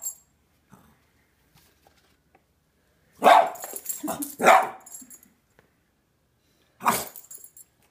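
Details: Dog reacting to little zombie figures, silent at first, then two loud barks close together in the middle and one more bark near the end.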